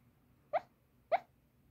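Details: Sleeping Toy Poodle, loud sleep talk from the belly, possibly dreaming: two brief muffled yelps about half a second apart over a quiet low background hum.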